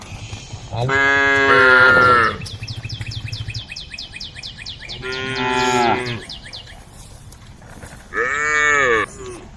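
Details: Cows calling the herd while wandering the road; three drawn-out moos, each swelling then sliding down in pitch, separated by pauses filled with rhythmic bird chirping and a low droning background.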